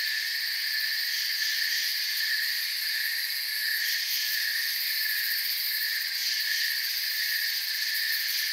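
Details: Crickets in a peaceful nighttime forest keep up a constant high, ringing trill with several pitch layers, swelling slightly now and then but never pausing; no other sounds are clear.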